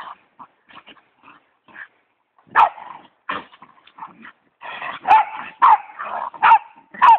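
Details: West Highland White Terrier and pit bull playing after a Thanksgiving meal, giving scattered short yips and grumbling growls, then louder bursts of barks and rough growling in quick succession toward the end.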